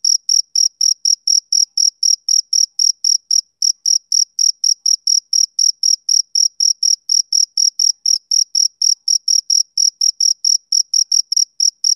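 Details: Male cricket chirping on a summer evening: short, high, clean pulses repeated steadily, close to four per second, with no other sounds behind them.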